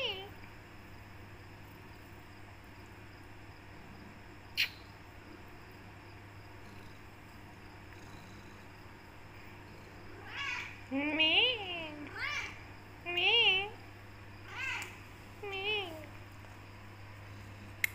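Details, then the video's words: Black Persian cat named Becky, a talkative tortoiseshell, meowing to be let out of the room and fed; a run of short arched meows in the second half after quiet room noise and a steady low hum. "Black Cat talks to Hooman a lot."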